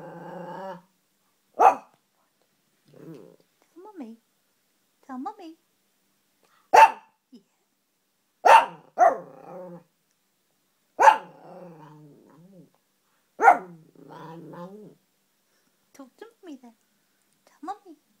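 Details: Pet Morkie dog 'talking', said to be saying mama to its owner. Abrupt, harmonic yowling bursts with sharp onsets come every couple of seconds. They alternate with the owner's softer coaxing speech in a quiet room.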